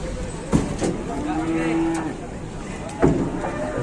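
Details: Cattle trapped in a truck at an Indonesian livestock market: one drawn-out, level moo lasting about a second, framed by sharp knocks and bangs, with background chatter and murmur.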